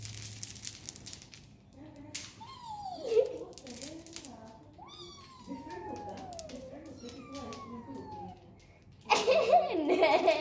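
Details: Pet cat at play time indoors, giving three drawn-out meows that start high and slide steadily downward, spaced about two seconds apart, with soft human voices and a burst of louder talking and rustling at the end.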